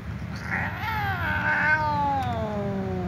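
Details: Tom cat and ginger cat meowing loudly at each other before eating together; one long, drawn-out harmonic meow that rises, then slowly falls and fades over about three seconds, with a low steady hum beneath.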